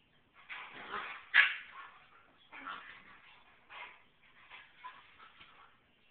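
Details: Alaskan Klee Kai mother dog, upset because her puppy daughter's smell was washed away, voices short whining yips and whimpers in several bursts, with one sharp, louder yelp early on, in a quiet indoor setting.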